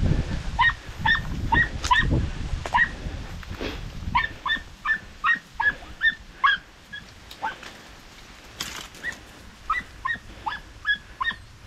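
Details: Podenco puppies in open countryside chase a rabbit, giving short, high, harmonic yelps in irregular bursts, roughly two or three a second, over a low rumbling background.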